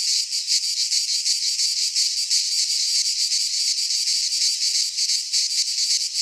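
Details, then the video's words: Cicadas singing in midsummer in a Greek pine forest: a dense, continuous high buzzing chorus, pulsing rapidly in slight waves with no other sounds. "Cicadas singing in midsummer - Nature sounds from the Greek fauna - Sounds of cicadas"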